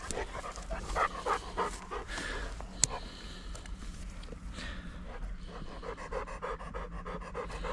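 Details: Hunting German pointer panting during a duck hunt: fast, steady breathy puffs, about three per second, continuing throughout over a low outdoor rumble.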